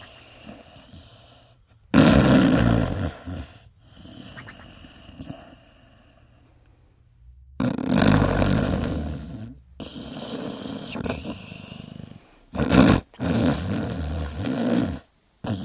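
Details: Sleeping dog snoring with flipping lips: loud, rough, low snorts in long noisy bursts separated by quiet gaps, uneven in length, with lower fluttering breaths between the louder stretches.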